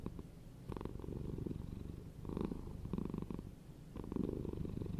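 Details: Domestic cat purring steadily, a low rumbling pulse with louder swells roughly every one to two seconds, close and indoors.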